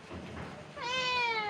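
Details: Domestic cat, called back from the neighbour's house where it went searching for its owner, answers with one clear meow that rises sharply and slides slowly down; a woman's repeated coaxing calls come before and after.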